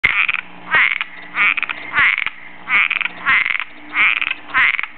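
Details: Cuban tree frog in a backyard, looking for a mate: a raspy, snoring croak repeated in a steady series, each rough burst lasting about a third of a second with short gaps, seven calls within five seconds, no other sounds.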